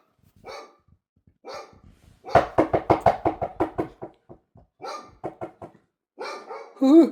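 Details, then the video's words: Dog barking in a fast run of short sharp barks, roughly eight in under two seconds, then scattered yaps and a final whining, rising-falling yelp. "dogs making noise"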